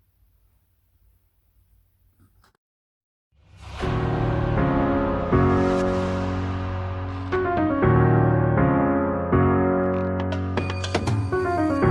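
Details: Near-silence with faint low hum for about three seconds, then electric piano music with sustained chords and repeated struck notes fills the rest.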